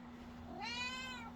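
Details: Black domestic cat giving a single clear meow that starts low and swells into a bright, rich, slightly falling tone over about half a second, with a low steady hum behind it indoors.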